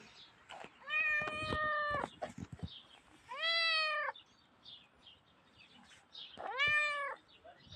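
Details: Small grey cat meowing three times: drawn-out, clear, harmonic-rich cries, each about a second long with a flat, slightly arched pitch, separated by short pauses and soft tapping sounds.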